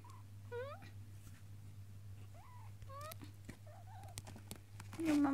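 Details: Four-week-old male Singapura kitten calling to his owner while trying to escape an indoor play den: several short, thin, high mews with rising-falling pitch spaced over a few seconds, over a steady electrical hum, a woman speaking softly nearby.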